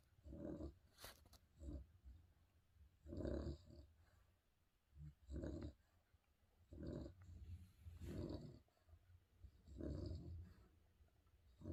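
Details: A sleeping spaniel snoring: rough, low, rasping snorts in loose bursts, about one every one to two seconds, with quieter breaths between and no other clear sounds.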